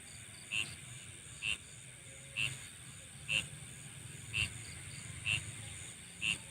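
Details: Night insect sounds: short, bright chirps repeat roughly once a second over a steady, high-pitched hiss of background chorus, with a faint low rumble beneath.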